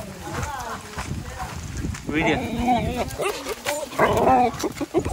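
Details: Vizil, a dog at a farm house, excited to reunite with siblings Maggie and Shiney and his owner; high, wavering whines come in short bursts between a man's voice calling and talking.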